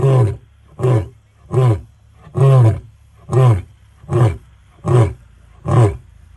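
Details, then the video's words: Close-range roar of a male lion in the Sabi Sands, the closing sequence: eight short, deep, grunting bursts spaced under a second apart, each a heavy low pulse with quiet gaps between. "Lion Roar - Extremely Close up in the Sabi Sands"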